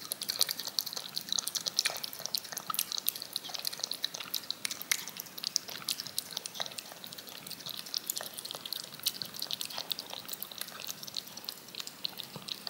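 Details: A cat laps yogurt from a spoon, making dense, drip-like wet ticks and moist smacking, quick and uneven throughout, with only a faint hiss underneath.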